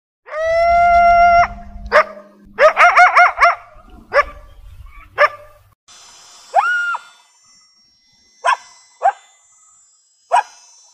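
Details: Coyote. A coyote opens with a steady, drawn-out howl, then breaks into quick, wavering yips. Later come a single rising-and-falling howl note and a few sharp, spaced barks over a low background rumble.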